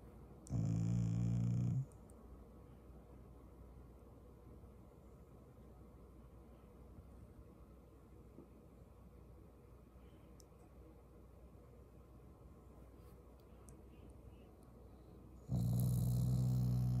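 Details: Shiba Inu growling affectionately rather than angrily at its family: two deep, droning growls over a second long, one at the start and one near the end, with a long quiet stretch between.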